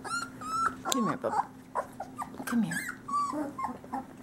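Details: Great Pyrenees male puppies, three weeks old, from Bella and Ranger's summer 2013 litter, giving thin level whines and downward-sliding squeaks, mixed with a person's voice and a steady low hum.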